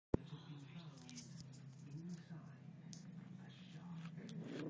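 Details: A Yorkshire Terrier growls at a dog brush, a low, steady, rumbling growl that barely rises or falls.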